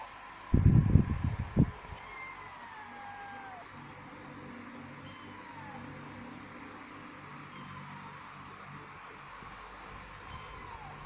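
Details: Two kittens, one male and one female, give thin high-pitched meows that slide downward, four spaced calls across the stretch, with loud low thumping and rustling near the start.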